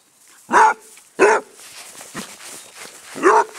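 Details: Basset hound named Squiggy, a rescue from Arizona Basset Hound Rescue in Phoenix, barking while being chased in play on a small patch of grass; three loud deep barks about a second apart, footsteps rustling between them.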